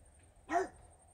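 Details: A single short, sharp bark from Regis, a French Bulldog barking at fairies, against quiet indoor background.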